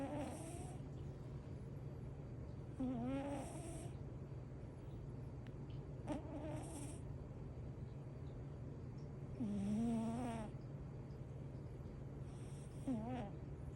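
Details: Munchkin cat Winter asleep and snoring loudly, likely worn out from playing; rhythmic snores with a rising harmonic tone recur about every three seconds over a steady low hum.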